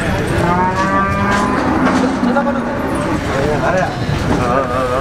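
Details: Cattle at a market in Ponorogo ahead of Eid al-Adha, August 2018; a long low drawn-out moo runs through the middle, layered over steady crowd chatter and background noise.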